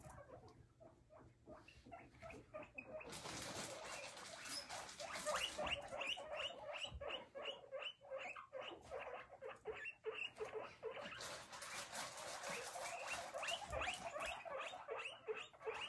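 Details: Several guinea pigs exploring a large ground enclosure with hiding huts, hay and fleece flooring, squeaking and hopping about; short squeaks repeat rapidly at about two or three per second, growing louder and denser in two bursts.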